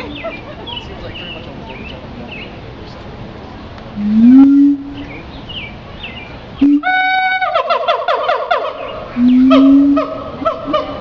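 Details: Siamang vocalizing amid chirping birds: two deep rising booms, then a burst of ringing, harmonic-rich barks that quicken into a rapid series, followed by another low swelling boom.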